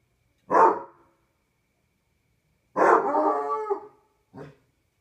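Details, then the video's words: Barney, a Basset Hound on a patio at night, gives a short deep bark, then a longer drawn-out baying howl of about a second, followed by a brief clipped bark; quiet background otherwise. "Barney the Basset Hound howling"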